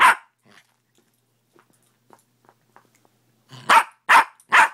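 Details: Domestic dog in the morning giving a bark, a pause of soft faint sounds, then three loud, sharp barks in quick succession roughly every half second.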